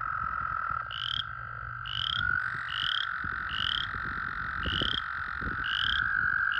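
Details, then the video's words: Breeding-season chorus of American toads in puddles and pools: a continuous steady trill hums beneath a string of short, sharply rising high peeps repeated roughly every 0.8 seconds, with low background rumble. "American toad breeding pool. ASMR. White noise. Calling"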